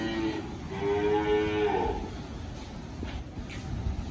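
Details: Cattle on a farm where about sixty cows have been sold and are being loaded to leave: one long, low, harmonic moo lasting nearly two seconds, slightly rising then falling, over steady background rumble.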